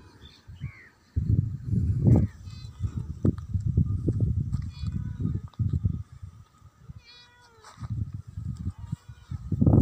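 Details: A friendly female pet cat gives a few short meows, harmonic and bending up then down, scattered through a bed of steady low background music and rumbling noise.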